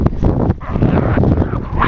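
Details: Dogs walked in a snowstorm in a field in Ironwood Township, Michigan, March 19, 2013: small chihuahua and Pomeranian/papillon mixes, 13-week-old Alaskan husky pups and an adult husky. A brief high rising whine near the end, over broad crunching snow noise.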